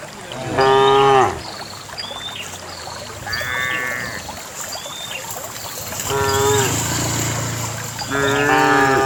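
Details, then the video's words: Dozens of cows herded and running along a narrow dusty path to a farm pen; several loud harmonic moos of about half a second to one second, spaced a few seconds apart, over background chatter of small birds chirping. "Dozens of cows herded and ran around the path leading to farm pen, real cow sounds"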